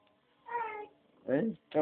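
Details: Pinky the house cat meows at dinner time, eager for food. Three short, clear meows come in quick succession, the first level and drawn out, the next two bending downward, in a small quiet room.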